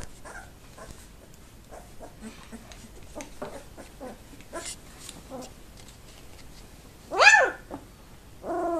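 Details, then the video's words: Two-week-old Labrador Retriever pups, active in the whelping box at a kennel, recorded 7 December 2011: soft scattered squeaks and whimpers, then one loud rising squeal and a final wavering whine. "Labrador Welpen 07.Dezember 2011 - Party in der Welpenbox"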